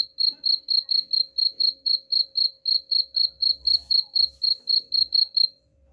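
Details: Cricket sound used to scare off rats: a run of crisp, high chirps about four per second that stops just before the end, with faint low rumbles in the background.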